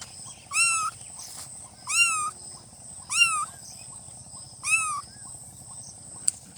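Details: Newborn kittens calling with repeated high, piercing meows, four cries spread over several seconds, each brief with a rising-then-falling tone, plus a faint click and steady background hiss.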